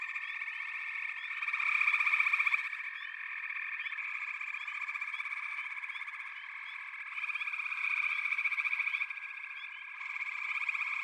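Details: Frog chorus in backwater, including pig frogs and water frogs: dense overlapping trills and pulsed croaks in a steady high band, swelling louder in bursts around two and eight seconds, with faint short upward chirps above.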